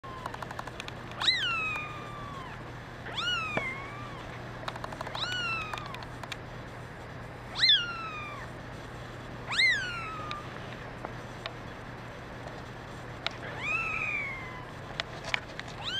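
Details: Kittens, including a red mackerel tabby male kitten, mewing: short high-pitched meows that rise sharply then slide down, about six over sixteen seconds, over a faint steady hum.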